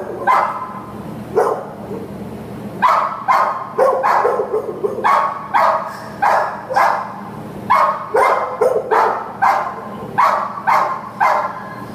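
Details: American Pit Bull Terrier at an adoption shelter giving loud, sharp barks in irregular bursts, about fourteen across the stretch, some in quick pairs and triplets, with faint background noise between.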